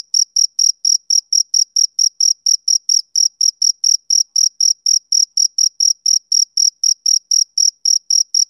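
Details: Male cricket chirping, a sound tied to summer evenings: clean, evenly spaced high pulses around four per second, each short and bright with a faint higher overtone, no gaps, over an otherwise silent background.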